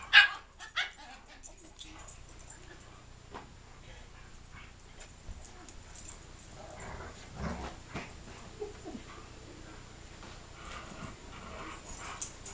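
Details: Reggie and Riley, a big dog and a little dog, playing together: a sharp loud burst opens, then scattered short barks and yips among rustling and some human speech.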